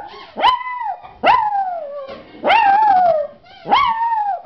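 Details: A puppy gives four short howls, each a sharp rising yelp that bends into a sustained falling tone, spaced roughly a second apart.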